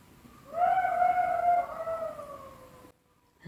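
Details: Golden jackal howling at night beside a tent in Abkhazia, very close to the campers: a drawn-out tonal wail with stacked harmonics, slowly falling in pitch over about two seconds, then cut off; faint background hiss.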